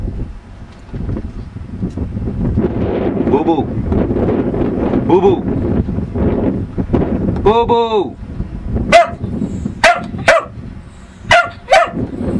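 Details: Pet dog named Lucky giving about five sharp, short barks in quick succession near the end, after several seconds of people talking, with some wind rumble underneath.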